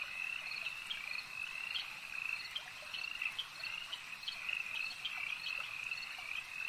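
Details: Lakeside frog chorus, many voices merging into a steady high-pitched trill, with brighter pulsed calls popping out every second or so over the constant drone.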